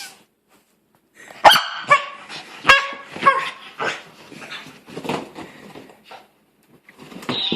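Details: Pet dog, a female, protesting a new sweater she dislikes with never-before-heard sounds: a run of short, harsh, yelping and grumbling bursts, some with a tonal edge, coming unevenly about once every second, then a brief lull.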